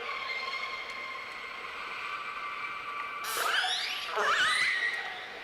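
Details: Orcas calling underwater in deep fjords, harmonic calls bending and sweeping in pitch, each trailed by an echo off the fjord walls.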